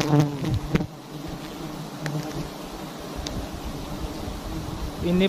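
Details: Honey bees at a large wild nest in a palm-garden tree, a low buzzing hum with louder close passes at the start and end, plus a few sharp clicks.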